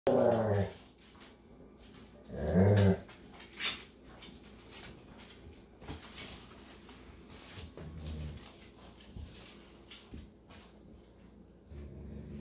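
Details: A Golden Retriever father babysitting puppies gives two short, deep, rumbling growls a couple of seconds apart, then falls quiet.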